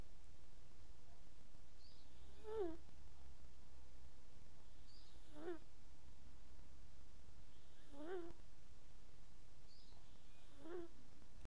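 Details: A sleeping house cat snores with regular nasal squeaks, four short rising-falling wheezes spaced nearly three seconds apart, against a faint, steady low background drone indoors.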